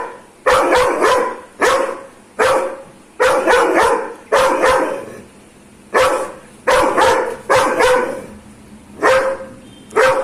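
A Dobermann barks aggressively in loud, harsh bursts, often two or three in quick succession.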